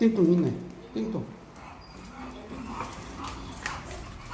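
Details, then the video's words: Pet dog named Khan, sulking after the family came home from Gageodo. Its short, whiny whimpers bend up and down in pitch during the first second, with another brief whine near one second, followed by quieter human talking. "드디어 가거도에서 집으로 왔슈 ㅎㅎ 우리 칸이 삐짐"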